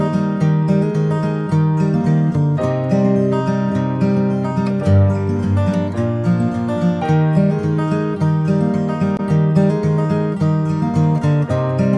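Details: Strummed acoustic guitar music plays steadily throughout, with no animal sounds.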